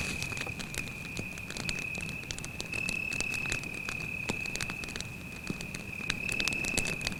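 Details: Night in the forest by a campfire, where a cricket keeps up a continuous thin, high trill at a fixed pitch, nearly drowned beneath dense, rapid crackling of the fire and a soft low rumble.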